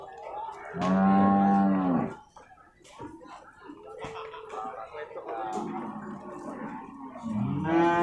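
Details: Cattle for slaughter at the Purwakarta animal market, Monday 15 July 2024, give a loud, low, drawn-out moo of about a second, then crowd noise, and a second moo begins at the end.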